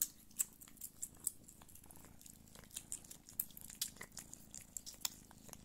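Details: Nursing Don Sphynx mother, Pūkė Chalisa, with her kittens; quiet low purr underneath frequent sharp clicks and wet suckling ticks, some bursts repeating roughly every half second.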